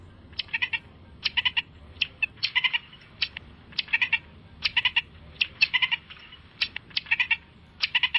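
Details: Marmots fighting and playing give short, sharp, high squeaky chirps. The chirps come in quick clusters of two to four and repeat steadily for about eight seconds over a quiet background.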